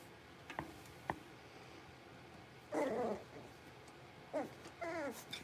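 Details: A litter of five blenheim Cavalier King Charles Spaniel puppies, six weeks old, in their indoor pen: a couple of soft taps, then three whiny, wavering yelps with a rising-and-falling, sing-song pitch, the last a longer bent whimper.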